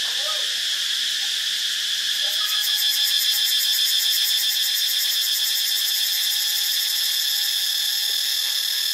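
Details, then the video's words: Cicada chorus recorded in Ubon Ratchathani, Thailand: continuous shrill buzzing with a rapid pulsing rhythm in the upper range, plus a thin sustained lower tone and a few faint bird notes early on. "เสียงจักจั่น (Cicadidae)"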